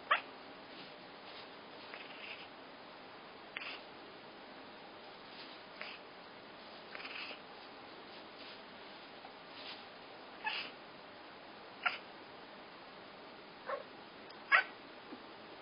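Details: Pet cat, female, reacting to a toy held up by her owner with a string of short, irregular chirping meows and sharp squeaks spaced a second or more apart, against a quiet indoor background.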